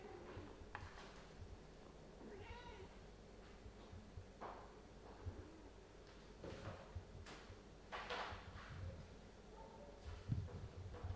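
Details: Mother cat Ophelia playing and talking with her kittens Pixel, Garfield, Bianca and Caramel indoors; several short, high, wavering meows scattered through the recording, spaced a second or two apart, over soft thumps and rustling from play.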